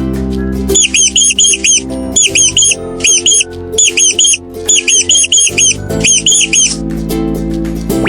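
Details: Mouse squeaking in rapid bursts of short, high, rising-falling squeaks, grouped into clusters with brief pauses, over steady background music.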